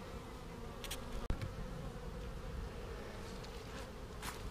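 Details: Buzzing honey bee colony during a beekeeper's hive inspection on a rainy March 10, 2019, around one o'clock; continuous low drone with a sharp knock midway and scattered brief rustles and clicks.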